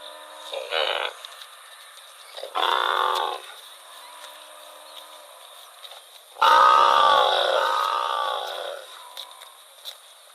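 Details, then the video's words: In rural rice fields, a wandering cow utters two brief, muffled calls early on, followed by a long, loud, tonal moo of more than two seconds that slowly fades. "Funny cow sound"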